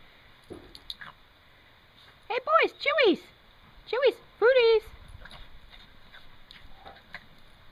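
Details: Toy Fox Terriers Fritz and Griffin playing in the snow; five short, high, harmonic yips that arch up then drop in pitch, three close together and then two more a second later, over a faint steady hiss.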